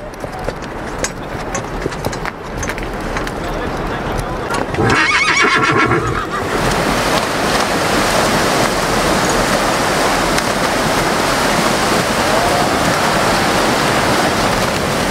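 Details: A Belgian draft horse wading in the sea gives a brief, quavering whinny over the steady rush of surf and splashing water, on the beach at Middelkerke-Bad, West Flanders, Belgium, at 12:39 on 17 October 2020.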